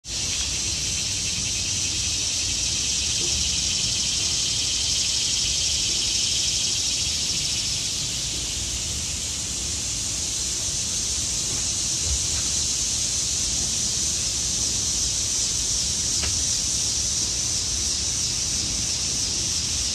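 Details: Cicadas in the trees in autumn make a steady, high, hissing buzz that never lets up.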